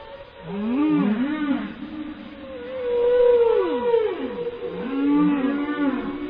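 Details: Whale singing with looping, wavering moans in a low register, rising and falling in short arcs, plus a higher tone bending down, the phrases returning about every two seconds in swells of loudness.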